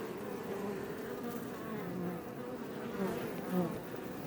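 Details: Iberian honey bees (Apis mellifera iberiensis) outside a Langstroth hive west of Roquetes, South Tarragona, Catalonia, Spain, near Els Ports Natural Park, recorded up close: dense, steady low buzzing of many bees, with brief louder swells as individuals pass near.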